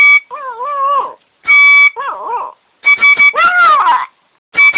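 A small dog's howl rises and falls in quavering, drawn-out tones, broken into short phrases. Bright, steady music notes, possibly a harmonica, sound in between, and the dog's voice seems to follow them.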